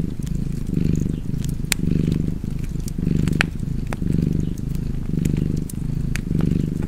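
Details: A house cat purrs in a soft, throaty rumble, its drone rising and falling about six times at a relaxed, steady pace. Fireplace crackles and small snaps sound over the top.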